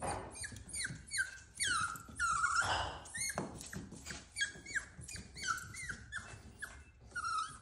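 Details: Frightened Cavalier King Charles Spaniel puppy crying at the top of the stairs, afraid to descend; a steady run of high, thin whines, each falling away, with one longer drawn-out wail midway, in a small indoor room.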